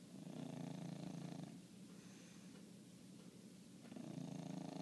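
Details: One-year-old dog asleep and snoring loudly. Soft, rhythmic rasping breaths with a low rumble, quieter in the middle and then swelling again.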